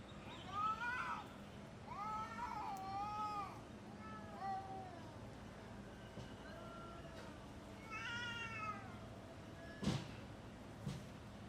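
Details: Cats fighting in original uncut footage: several arched, wavering yowls in quick succession, a pause, then a high rising-falling yowl, with two sharp knocks near the end over low background hum.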